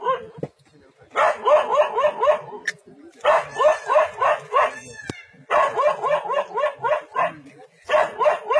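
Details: In a forest standoff with a leopard, a dog barks in long rapid runs of rhythmic, harmonic barks at roughly three to four per second, broken by brief gaps and a few faint clicks.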